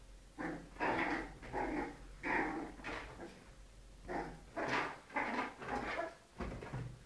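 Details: Little dogs fighting, heard as rhythmic rasping growls and snarls, roughly one burst every half second to second, with a faint steady hum underneath.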